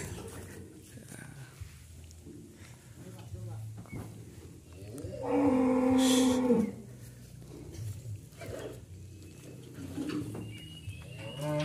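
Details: Sacrificial qurban cattle, already loaded onto transport from a farmer's pen bound for Jakarta, give one loud moo of about a second and a half midway, over steady engine-like rumble and background clatter.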